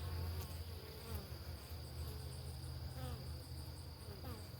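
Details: Buzzing of Italian honeybees around a homestead beehive in the morning: a continuous deep hum, slightly pulsing, with faint whining tones from individual bees passing close.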